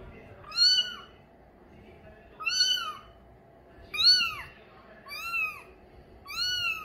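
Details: A young male Bengal kitten of mink, light colouring mews five times, each call short and arched, the last three coming faster, over a steady low background noise.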